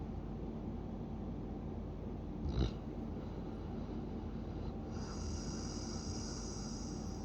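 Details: Snoring Siberian Husky: a steady low droning breath sound, broken by one short, sharp snort in the middle, with a faint high hiss in the background afterwards.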